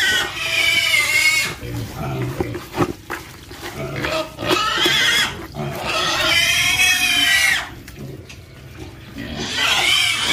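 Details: Pig on a pig farm, heard giving loud, high-pitched, harmonic squeals in two long bursts, one near the start and a longer one midway, with quieter grunts, shuffling and a final short squeal between them.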